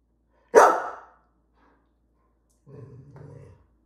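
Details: Greyhound wanting dinner gives one loud, abrupt bark, then after a pause a low, rumbling grumble lasting about a second.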